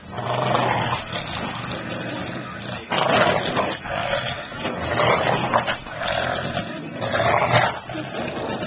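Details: A 76 pound English Bulldog and a 6 pound Papillon playing tug of war, giving rough, broadband growls in bursts of a second or two, with short pauses and some shuffling noise between them.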